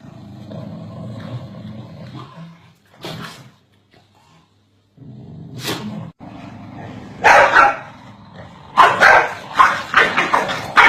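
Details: Corgis barking at each other continuously: a few sharp, scattered barks early on, then a louder cluster of rapid, harsh barks toward the end, with low rumbling background noise between them.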